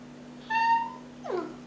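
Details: Jack Russell Terrier puppy, trained to answer the spoken command "say hello" in a small room: a brief steady whine-like tone, then a short falling slide, with a person's voice giving commands and praise around it.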